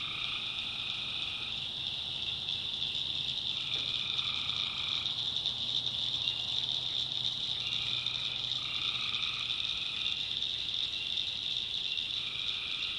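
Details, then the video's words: Swamp at night in the North Carolina backwoods, tree frogs calling: sustained, paired-pitch notes about a second long come in irregular turns above a continuous high-pitched hum of many callers. "Relaxing Swamp Sounds at Night - Frog Heaven - Frogs"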